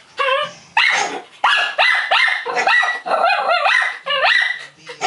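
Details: A small Maltese barks in quick, high, sharp bursts, several times a second with brief gaps, reacting to a barking dog on TV or computer.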